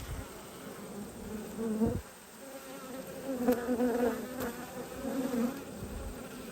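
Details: Honey bees buzzing close up during a hive inspection on 19 March 2022: a steady, low droning hum with a clear overtone, swelling and fading over several seconds, with brief clicks and handling knocks.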